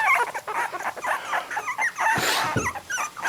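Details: Whimpering three-week-old puppies, their eyes now open, lying on a blanket away from their mother; thin, wavering high cries overlap, cut by a brief rustling burst near the middle.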